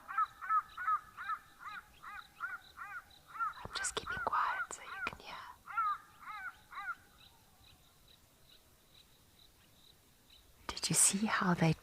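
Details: A jackal at Mabula Private Game Reserve, South Africa, sounds quick, repeated yelping alarm calls, about three every second, at cheetahs feeding on a kill, with a steady high whine behind; others answer, and it may be calling its family to the meal.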